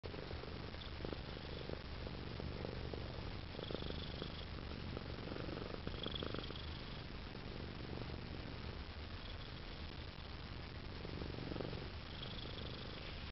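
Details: A domestic cat purring steadily, a low continuous rumble running through the whole recording with faint soft pulses, indoors in a quiet setting with no other clear sounds.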